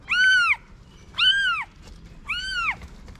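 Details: Three long, loud arched meows from a Moroccan street cat that hid her newborn kittens in a paper box, each about half a second, evenly spaced in a quiet setting.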